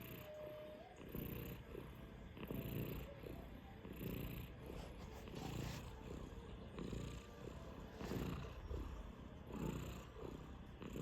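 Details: A five-month-old Sphynx cat snoring: soft, raspy breaths rise and fall in slow cycles roughly every two to three seconds, with a faint steady hum in the background.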